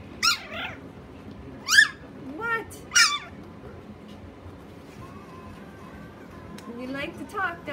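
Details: Chihuahua, said to talk: a series of short, rising and falling whiny yelps and warbles, irregularly spaced over several seconds, with softer wavering sounds near the end, indoors.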